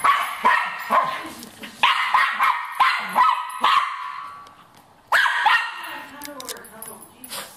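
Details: Cairn Terrier hunting a rat, giving quick bursts of harsh barks, several per second. A short lull follows, then another loud volley. A human voice is heard in the background.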